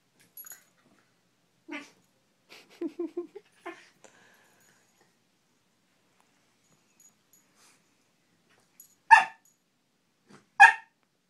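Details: Two pet dogs, a Shiba Inu and a Corgi, playing together indoors: soft short grunts and yips cluster in the first four seconds, then a long quiet gap, then two loud, sharp barks about a second and a half apart.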